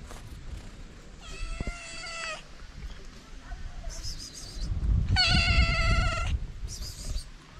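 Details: Starving feral cats, a calico and a ginger, meowing for food: two long, strong, steady-pitched meows about three seconds apart, with faint higher mews between them over low background rumble.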